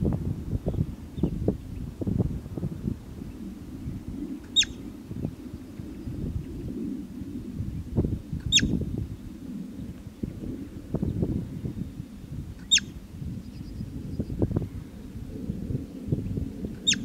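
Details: Steppe marmot (bobak) giving four piercing, clipped whistles spaced roughly four seconds apart, each a quick high note dropping in pitch, against a constant low blustery background.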